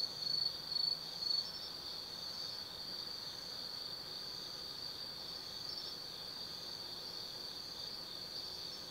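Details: Forest insects of autumn chirring at night at Tsukimi no Mori in Kaizu, Gifu, Japan: three louder high chirps open, then an even, unbroken high-pitched trill continues to the end.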